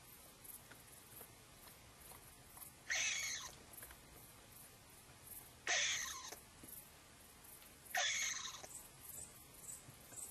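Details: Frightened edible dormouse calling excitedly from its hole: three harsh, hissy, breathy bursts, each under a second, spaced roughly two to three seconds apart, with faint steady high ticking behind.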